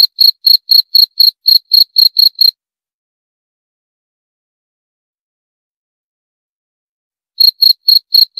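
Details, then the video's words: High, clipped cricket chirps about four per second for over two seconds. Then a silent pause of roughly five seconds before the chirping resumes. "28 Menit Suara Jangkrik - 28 Minutes Cricket Sound Effect"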